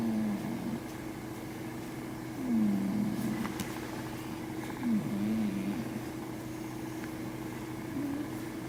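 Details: Imotaro, a Japanese Scottish Fold cat, snores in sleep, giving soft droning breaths with a slight dip and rise in pitch every couple of seconds, plus a few faint clicks over a constant low household hum.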